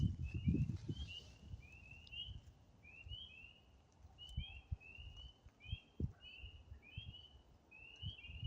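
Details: A chorus of spring peepers by a stream and vernal pool in the woods in spring, arriving just after the wood frogs: high, short, rising peeps overlap from several frogs, and they quiet down when someone approaches.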